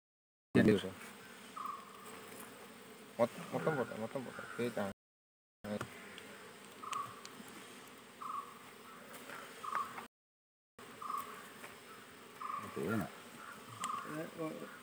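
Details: Honey bees buzzing while a hive is worked at a Kerala bee farm in India. A continuous droning hum is heard with scraping and handling sounds, cut by brief silent gaps.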